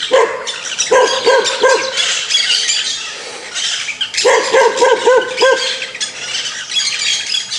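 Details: Angry dog barking: a run of four short, tonal barks near the start, a pause, then a quicker burst of about six barks, all over a steady, dense high-pitched hiss and chatter.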